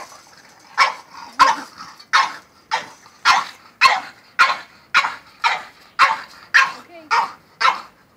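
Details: French bulldog worked up over a goat, barking in an even rhythm about every half second, each bark short and harsh, with a faint voice in the background.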